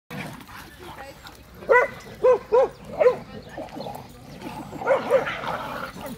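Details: American Staffordshire Terrier barking: four short, gruff barks within about a second and a half, then a pause and two softer ones, over steady low background noise.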